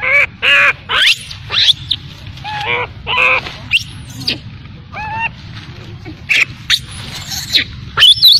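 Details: Baby macaque abandoned by its mother, crying: shrill harmonic squeals and short rising-falling wails repeated irregularly, with sharp high clicks between and a low steady hum underneath.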